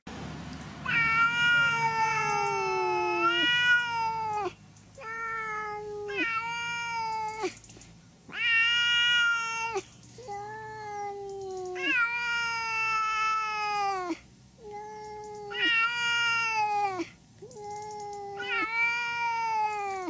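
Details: Angry domestic cat giving long, loud, drawn-out meows and wails, each sliding and wavering in pitch, several in a row with short pauses between them; quiet indoor background.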